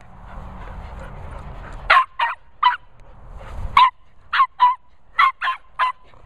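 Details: Border Terrier Nala barking on meeting Cocker Spaniels Finlay and Murphy: nine sharp yappy barks in quick clusters of two and three, after a stretch of low rumbling background.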